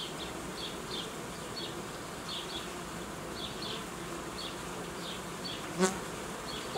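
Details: Honey bees buzzing steadily in an apiary where old queens are being replaced, high chirps recurring across the clip and a single sharp click near the end.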